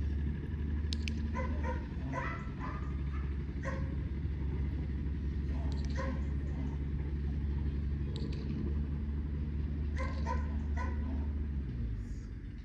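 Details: German Shepherd during basic obedience training, giving short, sharp barks in scattered bursts every two seconds or so, over a steady low engine-like rumble throughout.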